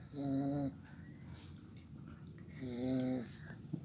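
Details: A pet pit bull puppy snoring loudly while asleep indoors: two long rasping breaths about two and a half seconds apart, each a steady buzzy drone with low rumbling undertones, quiet breathing between.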